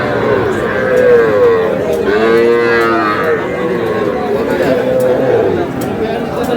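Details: Young bull calves for sale at a Noakhali cattle market, 11 July. Repeated nasal calf moos, some long and wavering, overlap amid steady crowd talk and haggling voices.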